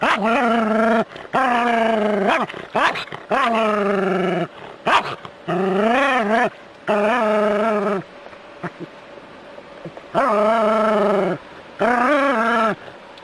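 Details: Jack Russell Terrier playing with water from a hose, giving repeated long, wavering whining howls and yelps, each lasting about a second, with short gaps and splashing noise between.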